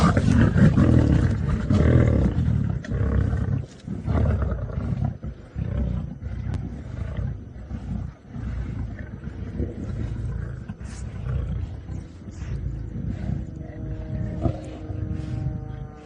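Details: Lions of the Nkuhuma Pride in Djuma Game Reserve, Sabi Sand, South Africa, squabbling over the last of a buffalo carcass during a sunset drive, March 2018: deep rumbling overlapping growls and snarls, loudest at first, continuing in rough pulses.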